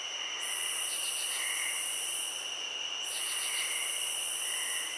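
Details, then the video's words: Steady high cricket trill with a piercing buzz that stops briefly and resumes, plus short rapid chirp bursts recurring alongside. "Cricket Sounds"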